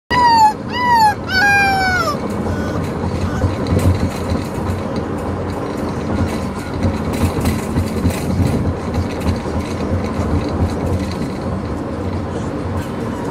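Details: Corgi puppy named Neptune howling on his first ride home in a moving vehicle: two quick sliding, wavering yodel-like cries with rich harmonics in the first two seconds, then steady low road rumble for the rest.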